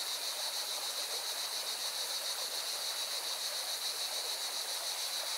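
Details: Cicadas singing near a mountain river in Valencia, Spain: a constant piercing, rapidly pulsing buzz over a dense, even roar of running water.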